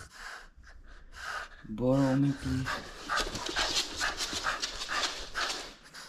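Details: French Bulldog at play, refusing to give up its toy: a short low harmonic grumble near the two-second mark, followed by rapid snorting and panting breaths, with a person's voice nearby.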